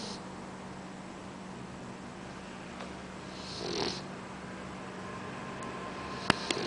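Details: Boxer puppy Oscar, asleep, gives one breathy rasping snore midway, then a few sharp clicks near the end against a low steady hum.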